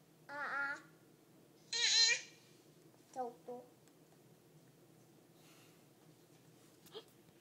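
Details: Domestic cat talking indoors, recorded 13 June 2011: two drawn-out, wavering meows, the second louder and higher, then a pair of short soft chirping calls and a faint click against near silence.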